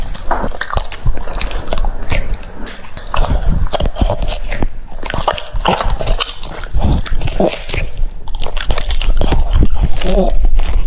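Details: A French Bulldog chewing cucumbers, with irregular crunchy bites about three per second and wet smacking, ending with a short, soft whine-like tone among the last chews.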